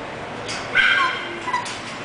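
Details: English Bulldog, a puppy offered by a breeder, giving a single thin, high whining whimper that rises and falls briefly over steady background hiss.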